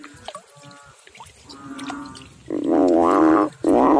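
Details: Frogs in water give faint, low croaks at first, then two loud, rich, buzzing calls near the end, each lasting close to a second.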